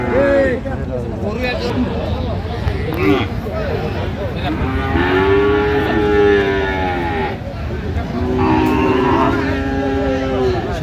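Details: Friesian and crossbred bull calves at Aftabganj cattle market, 30 December 2025: two long, level, low moos in the second half, each lasting about two seconds, amid busy background voices and a haggling buyer.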